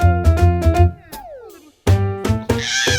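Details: Koalas fighting in Australia, typically over territory or a roaming male challenging a dominant male: deep, rhythmic, rasping bursts with a drawn-out, falling, mournful wail between them, possibly from a koala driven from its home tree.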